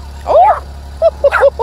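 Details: An 8-week-old male Redbone Coonhound puppy, telling someone off, gives a squeaky rising yap, then a quick run of short, high yips.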